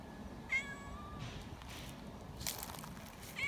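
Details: Short high meows from young community cats excited at being picked up: a brief rising-falling call, another starting at the close, with clothing rustle and handling thumps between.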